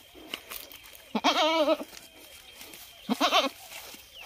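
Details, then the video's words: ['Two tremulous goat bleats, the first about half a second long with a wobbling pitch, the second shorter, over a noisy outdoor background with scattered clicks.'] "Goat Sound | Goat Sounds - बकरे की आवाज | Bakre Ki Awaaz"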